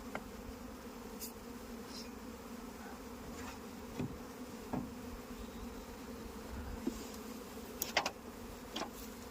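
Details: Kept honey bees in India give a steady low hum throughout, with scattered sharp taps and clicks over the buzzing.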